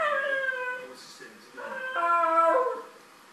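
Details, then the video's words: Dog meowing at a cat: a drawn-out, falling whine, a brief pause, then a louder wavering, rising-and-falling howl-like cry, strongly tonal with clear overtones. "Dog meows at cat"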